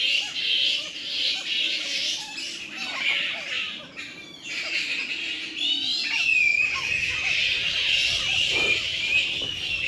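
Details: Fruit bat colony roosting by day in mangroves on a remote island off Australia, protected there: dense, loud high-pitched chattering and screeching squabbles, a continuous din with rising and falling squeals, a man speaking faintly in between.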